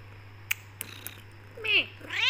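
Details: Black Persian cat Becky, a tortoiseshell with golden highlights, indoors, meowing at her owner to be let out of the room; a few faint clicks, then two short rising-falling harmonic meows near the end.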